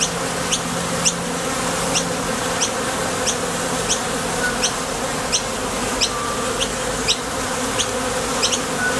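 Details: Continuous dense hum of honey bees leaving and landing at a top bar hive entrance while foraging for nectar, the drone steady and unbroken, with brief high-pitched ticks recurring every half second or so.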